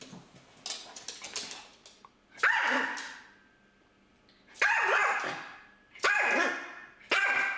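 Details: Pet dog barking at a budgerigar that escaped and hid in a corner behind the furniture; a few faint sounds, then loud sharp barks spaced one to two seconds apart, each a harsh single woof.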